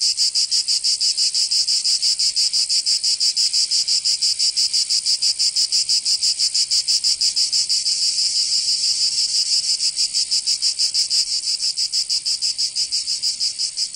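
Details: Chorus of cicadas in summer, Provence, southern France: intense high-pitched buzzing that pulses evenly around three times per second, sustained without pause, only the insects heard.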